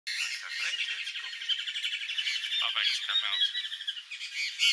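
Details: Swinhoe's striped squirrel at Lama Monastery, Wolong, China, recorded 10-5-2018: a rapid, high, pulsed chattering trill of short notes about four per second, with scattered sharp chirps and some faint background noise.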